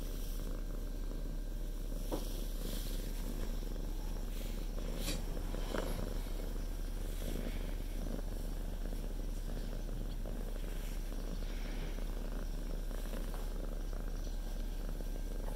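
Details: Domestic cat purring while sitting on its owner's lap, keeping them from working; a steady low rumbling purr runs throughout, with a few faint brief clicks and rustles above it.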